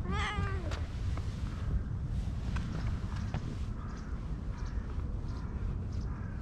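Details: Stray cat under a bench, stroked as more cats gather, gives one short clear meow at the very start; afterwards only faint rustling and a constant low hum of city traffic.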